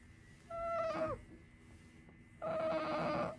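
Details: Two whining cries from a pet otter, Sakura, female, as she goes into a nap in a home shared with a cat: a clear, falling squeal, then a longer, rougher, steadier wail after a short pause.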